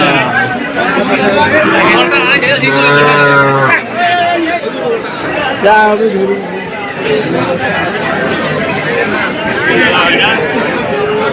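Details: Deshi and Sahiwal calves for sale at Setabganj livestock market in Dinajpur on 24 June 2024. One drawn-out, level moo of just over a second stands out from dense crowd chatter, bargaining voices and passing vehicle noise.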